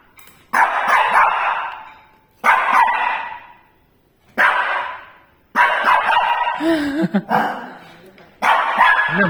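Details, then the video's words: Pet Shih Tzu barking in fear at a tea leaves ball infuser: loud, harsh, noisy barks at roughly two-second intervals, each trailing off, with a person speaking Tamil reassuringly near the end. "Shih Tzu afraid of Tea Leaves Ball Infuser"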